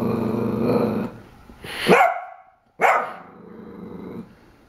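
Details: A corgi puppy named Pool Noodle growls at a mug with a corgi picture, then breaks into two loud, rising barks separated by a brief silence before a low growl resumes.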